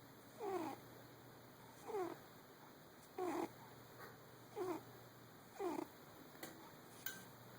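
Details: Dreaming in her sleep, the cat Fiona snores in a regular rhythm: five brief, wheezy, downward-sweeping snores about a second and a half apart, then faint clicks in a quiet room.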